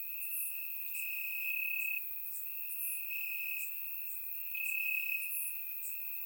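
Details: Night chorus of crickets in Bulgarian grass on a warm summer evening, surround-microphone recording; one continuous high-pitched trill swells and fades in long bursts while softer, higher chirps from other insects tick along behind.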